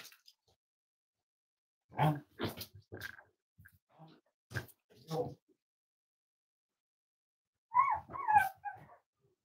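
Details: Cavalier King Charles Spaniel puppies almost 8 weeks old, kept in a family home: a quick cluster of short, sharp puppy barks, then a higher, wavering whimpering yelp near the end, heard indoors in a small room.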